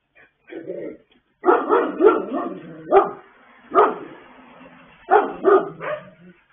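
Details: Several pet dogs singing late at night, recorded 26 October 2022: a run of short, moaning woofs and yowls, mid-pitched and rising then falling, in bursts about a second apart, with quiet gaps between.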